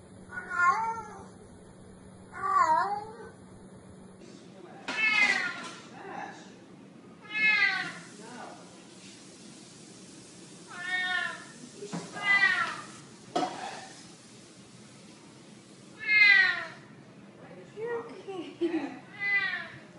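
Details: Kitten meowing repeatedly, about ten short, wavering, high cries at uneven gaps, some louder and sharper, with a change of background partway through.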